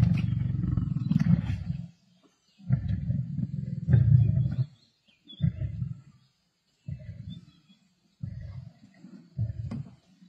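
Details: Black Dam male lions feeding with the Avoca Pride in Sabi Sands on 31 March 2024: heavy low snarling growls, two long ones followed by a string of shorter bursts separated by pauses.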